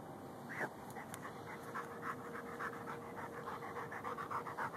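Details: Gopher-digging dog Lou, a Ridgeback and Bull Mastiff mix, filmed on a Samsung Galaxy S3 while after a pocket gopher; one loud huff early, then rapid, fairly regular panting breaths near three per second, with a faint steady hum behind.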